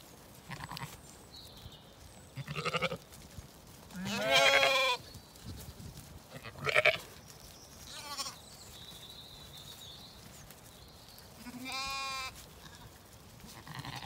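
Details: Lambs playing and exploring while ewes feed at dawn on a Zwartbles farm in County Kilkenny, Ireland; scattered quavering bleats of varied pitch, one strong wavering call around four seconds, over quiet background with faint birdsong.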